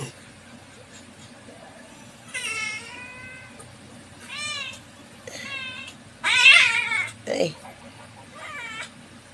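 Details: Pet cat meowing in several separate bursts, one loud strained cry among plainer wavering meows, with quiet background hum.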